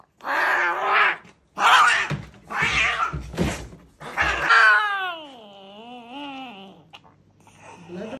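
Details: Angry cat at a veterinary clinic, several harsh, loud growling yowls followed by a long, clear, wavering howl that bends down and up, then fades, in a small indoor room.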